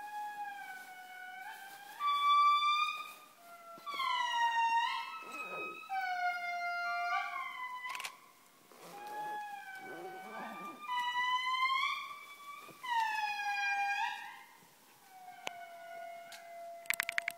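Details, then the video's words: Indri at Andasibe, heard close by: loud wailing howls in long harmonic notes that slide and step downward, several voices overlapping in phrases with short pauses between bursts. "indri aullido"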